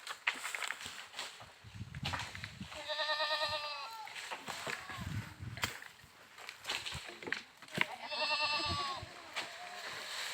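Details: Goat bleating twice, with two loud, trembling, buzzy bleats about five seconds apart, over low rumbling, knocks and background noise.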